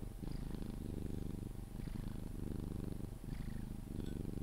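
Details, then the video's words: Sphynx cat purring while being cuddled until it falls asleep: a steady low rumbling purr that swells and eases with each breath, with faint soft squeaks marking some breath cycles. "CUDDLING MY SPHYNX | 10 MIN CAT PURRING CUDDLES E KISSES SOUNDS"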